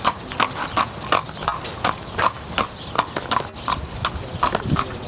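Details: Horse hooves clip-clopping at a steady walk, sharp knocks about every half second with brief clicks between, a faint voice near the end.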